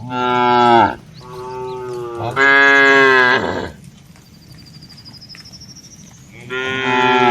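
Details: Herd of dozens of gentle cattle making their way to the shed: three separate moos, a short one, a softer one, then a long loud bellow, a quiet gap, and another moo starting at the end.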